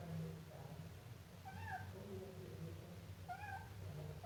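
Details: Siamese kitten letting out a few drawn, wavering high meows with a slight downward bend, separated by quiet gaps, over a low background hum.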